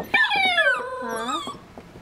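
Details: Wrestling puppies, said to be feeling much better, give a loud drawn-out whine that starts high and slides steadily downward, then a second lower wavering whimper rising at the end, with faint scuffling and light tapping beneath.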